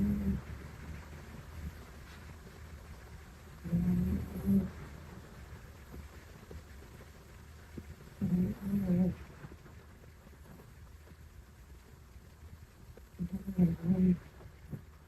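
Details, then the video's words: Mame Shiba puppy snoring while asleep: low rumbling snore bursts roughly every five seconds, each a short cluster of grunting breaths, over steady low background hum. "#豆柴#柴犬#子犬#どんぐり#いびき#グウグウ パピーだけどいびきは一丁前"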